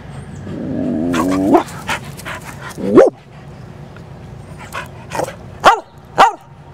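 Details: Torrie, an energetic Black Lab and Chow mix female dog with a spotted tongue, excited before a walk: a rising, drawn-out whine builds, then sharp single barks come at about three seconds and twice more near the end, amid scuffling.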